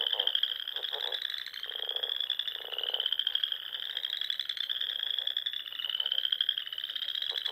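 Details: Many frogs singing at dusk in spring on a Nebraska Sandhills pond; a shrill unbroken trill dominates, with short bursts of lower rapid croaking roughly every second.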